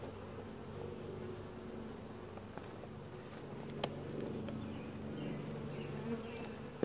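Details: Calm, gentle honey bee colony heard during a routine hive inspection with a tripod-mounted camera; continuous low buzzing drone, even in loudness, broken by a few crisp knocks and clicks of hive tools and frames.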